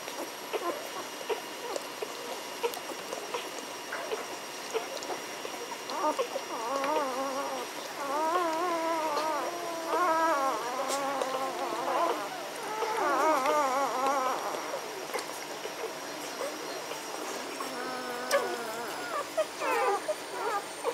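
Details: Litter of Magyar Vizsla puppies, B litter, 14 May 2015: overlapping high, quavering whines and squeaky whimpers come in bursts from about six to fifteen seconds and again near the end, over a steady background hiss.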